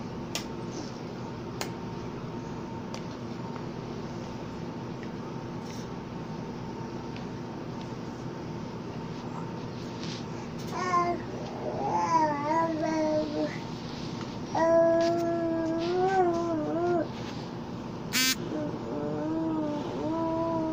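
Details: Napping cat recorded on 19 October 2020, making soft, cute murmuring noises in its sleep: wavering, tonal squeaks and drawn-out mews in the second half, some held for about two seconds, over a steady fan-like indoor hum.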